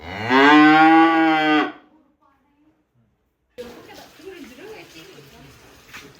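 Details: Giant cow, excited as it leaves its pen after finally being sold west, gives one loud, long, rich harmonic moo lasting about a second and a half; a brief silence follows, then low rumbling background noise with faint scattered sounds.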